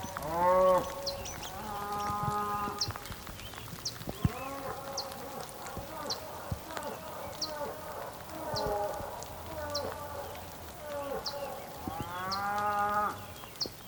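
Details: Bulls calling on the Patagonian plain of Tierra del Fuego, Argentina, on a rainy day: several overlapping deep, drawn-out moos from more than one animal, with steady patter of rain throughout.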